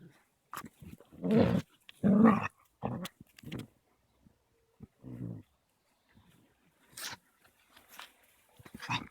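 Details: Two Caucasian Shepherd puppies, a 3-month-old female and a 21-month-old male, growling while play-fighting roughly; short low rumbling growls in irregular bursts with quiet gaps, a few higher yelps near the end.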